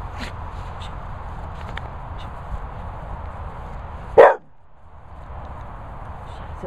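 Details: Shilogh, an English Bull Terrier, barks because it wants food: one short, sharp, loud bark about four seconds in, followed by quiet, over a steady low rumble with faint taps and movement noise.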